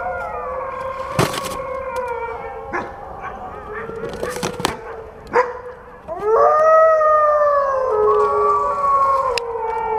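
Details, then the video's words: Wolf howls overlapping in a chorus, with sharp clicks and knocks breaking in during the first half, then a louder, rising and wavering howl that holds steady to the end. "WOLF SOUNDS! What is the sound of wolf?"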